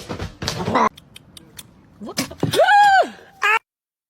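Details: Domestic cat meowing once in a smooth rising-then-falling arc, about half a second long, set among bursts of human speech and short clicks.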